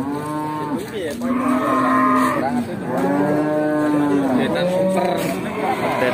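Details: At the crowded Bekonang livestock market in Sukoharjo, Indonesia, a nine-month-old Pegon calf is offered for sale. Several sustained, wavering moos follow one another closely, rising and falling in pitch, over market murmur.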